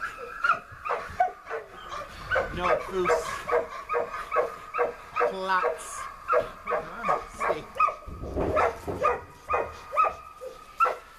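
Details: A 3-year-old Rottweiler in protection work, taking abuse from a decoy and giving it right back: a run of sharp barks repeated about every half second, with people talking nearby.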